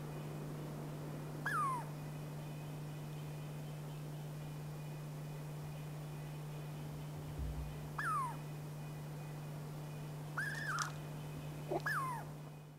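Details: Chickaree, or Douglas squirrel, of the Pacific Northwest repeating short descending whistled notes, sparse at first and then closer together near the end, with a steady background hum.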